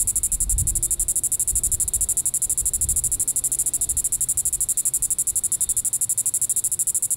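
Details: Diceroprocta vitripennis cicada calling on a July 20, 2014 evening in Sand Hills State Park, Kansas; a piercing high buzz beats in rapid pulses about three times a second, with brief low thumps early on.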